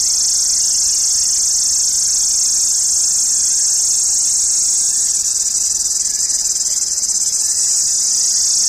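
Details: Indian summer cicadas shrilling loudly: a continuous, piercing high-pitched buzz that holds steady throughout, taking on a faint rapid pulsing in its second half, with no other clear sounds.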